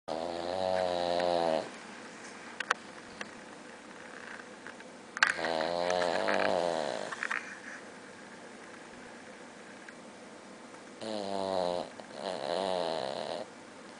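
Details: A female Boston Terrier snores while asleep in long, rattling breaths, each lasting about two seconds with quiet pauses between.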